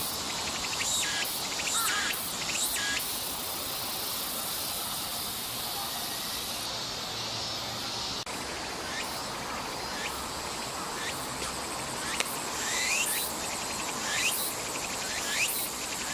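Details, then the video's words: Tsuku-tsuku-boshi cicada recorded on 14 August 2014 in Nishi Park, Sendai, Miyagi, Japan: bursts of pulsed phrases at the start, a stretch of steady buzzing, then irregular rising sweeps returning in the later half, amid dense insect noise. "Japanese Summer Sound (Tuku-Tuku-Boshi Cicada) ツクツクボウシの鳴き声３コーラス分"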